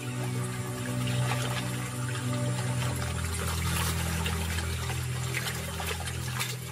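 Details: Steady music with low sustained tones, mixed with trickling, pouring water-like noise throughout; no animal voice is heard.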